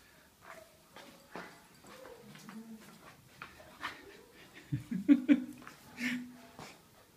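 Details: Female puppies, 47 days old, indoors: low, drawn-out whining and grunting notes that build to a short cluster of louder yelps near the end, with soft rustling and a faint human voice in the background.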